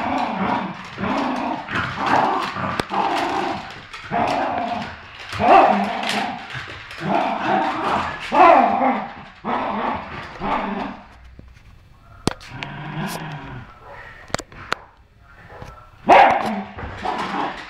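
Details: Two dogs, a Poodle and a Terrier, playing tug of war over a new toy: rough rolling play growls in repeated bursts about a second long, easing into quieter snorts and scuffling near the end.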